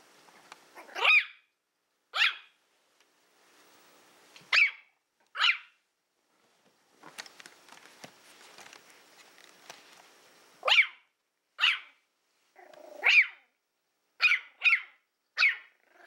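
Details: Willow, a female Toy Fox Terrier born April 2012, plays indoors with a pig's ear, letting out shrill, clipped barks in irregular bursts, some paired quickly, with soft rustling and faint low growling between them.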